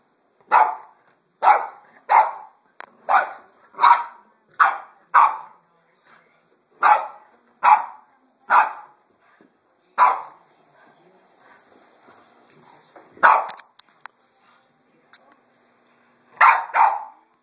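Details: Indoors, a Boston Terrier confronts a vacuum cleaner with a run of about fifteen sharp, bright yips, steady at first, then a pause with soft noises before a last doubled burst. Recorded on a phone.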